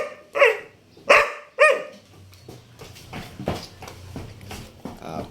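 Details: A Labrador Retriever gives three loud, tonal, wavering cries in quick succession, prompted to "cry" by its owner, followed by quieter muffled sounds.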